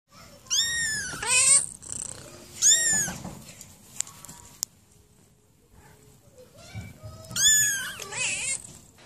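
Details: Domestic cats in a funny cat compilation, three bursts of high, drawn-out meows with falling pitch, the first and last doubled, separated by quiet rustling and a sharp click.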